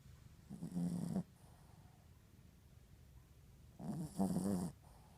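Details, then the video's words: Sleeping Yorkshire Terrier snoring indoors: two loud, rasping snores about three seconds apart, each a low, rough rumble lasting under a second, with quiet breathing between. "Dog Snoring"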